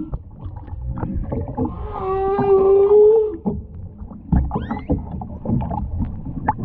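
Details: Humpback whale singing underwater off the Ogasawara Islands on 23 February 2021, filmed on a whale-watching trip with a mother, calf and escort. A steady harmonic tonal unit holds for about two seconds amid clicks and water noise.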